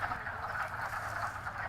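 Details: Many male wood frogs calling by day from a pond to attract females, while females hide; overlapping low clucking calls blur into a steady, continuous murmur with no single voice standing out.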